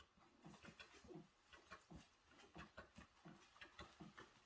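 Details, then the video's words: Five puppies, born 28 February 2023 to a Welsh Corgi mother named Yeoreum and a black stray mixed-breed father, eat chicken porridge weaning food at a countryside house in Cheongdo, North Gyeongsang: soft, wet smacking and lapping repeated several times a second. "새끼 강아지 먹방"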